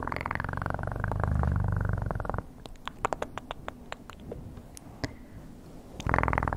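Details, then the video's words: Close ASMR recording of a cat purring: a low, pulsing rumble for over two seconds, followed by a quiet gap with sharp clicks and taps, then the purr resumes strongly at the end. "Best PURRING sounds"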